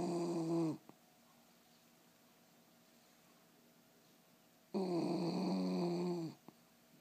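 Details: Dog snoring indoors: two long, rough, rumbling snore breaths several seconds apart, with quiet stillness between them.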